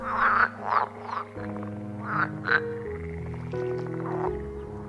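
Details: Green frog croaking in the Engbertsdijksvenen bog area, a large peatland: a series of short, nasal, harmonic croaks in quick bursts, with soft background music playing throughout.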